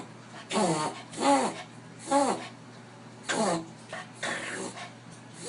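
A Dachshund reverse sneezing with a run of harsh, honking snorts about once a second.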